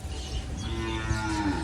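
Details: A cow in Bangladesh lows during artificial insemination training, giving one brief, deep, steady moo with a faint higher tone held above it. Room noise is heard.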